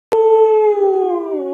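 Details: Alaskan Malamute howling along in a singing session with its owner: one loud, steady, mellow howl held for about a second and a half, sliding gently lower toward the end, with no other sounds.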